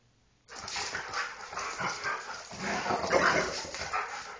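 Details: Two dogs, a Husky and a Golden Retriever, wrestling roughly in play; after a brief quiet start, continuous gravelly growling swells and fades in uneven waves.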